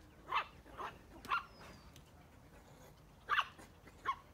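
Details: Curious dog running around in front of a cow in the United States, giving five short, sharp barks spread over about four seconds, some close together and others spaced apart, against a quiet background.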